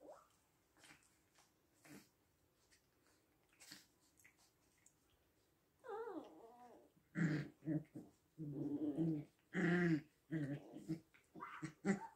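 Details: Six-week-old puppies in a small room: soft scattered sniffs, then a wavering rising-and-falling whine, followed by a run of low growling yaps in quick irregular bursts, roughly one every second.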